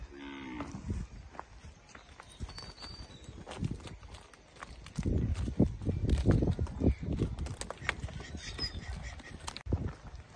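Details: Guzerat cattle among dairy cows on a farm in El Salvador; a short, low harmonic moo opens, then rustling, shuffling and thumping handling noises fill the rest, with faint voices in the background.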